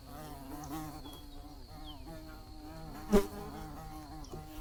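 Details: A bee's buzz forms a continuous low, slightly wobbling drone. A single sharp click cuts in briefly near the end, over a faint constant high tone.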